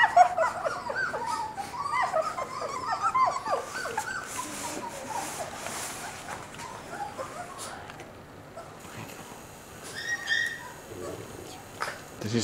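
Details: Moss, a Border Collie puppy four weeks old, whimpers while being held at the breeder's house: a burst of squeaky, quavering whines in the opening seconds, then quieter handling noise and faint squeaks near the end.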